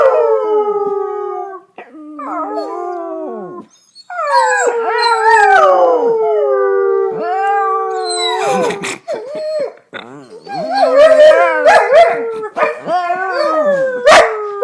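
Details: Dogs howling in chorus like wolves: overlapping drawn-out wails, some falling, some wavering, broken by short yips and whimpering notes toward the end.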